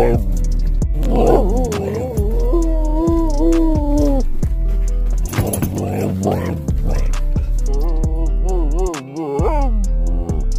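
A Siberian Husky produces sustained, slightly wavering howls, then a run of quick warbling, rising-and-falling 'talking' sounds. Music plays steadily underneath throughout.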